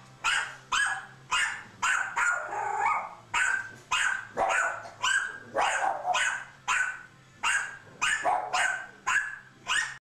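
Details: Pet dogs barking in a steady run of sharp, harsh barks, nearly two per second for ten seconds, with some barks overlapping as if more than one dog joins in; faint low hum beneath.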